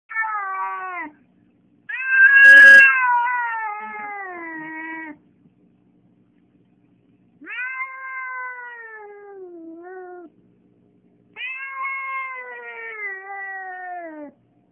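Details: Domestic cat calling after seeing another cat through a window: three long, drawn-out meows, each wavering and sliding downward over about three seconds, with a brief sharp click during the first cry and quiet gaps between.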